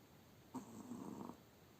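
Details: A Spitz dog, sleeping after a hard day, gives a single soft snore lasting under a second, a low buzzy rasp with a faint hum in a quiet room.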